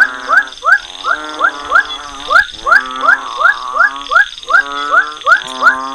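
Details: Frog calls of an unnamed species used to demonstrate a call-based species identification system: short rising chirped notes with harmonic stacks, repeated about three times a second in a steady pulsing rhythm, faint background hum.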